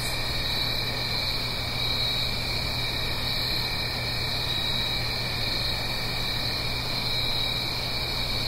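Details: Crickets singing on an autumn night in the Blue Ridge Mountains, uphill from a gentle stream: steady, unbroken high trilling bands layered over a broad, soft rushing wash and a low constant hum.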